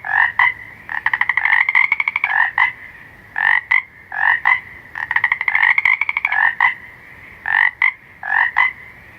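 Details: At night, a frog gives loud, nasal, pulsed croaks around the upper-middle register, mixing quick rattling trills with short paired notes. The bouts repeat steadily about every second against a quiet background.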